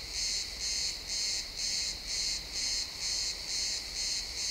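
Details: Sunset chorus of crickets in a pine wood: bright, high buzzy pulses pulsing roughly twice a second in an even beat, nothing else prominent apart from soft low rumble.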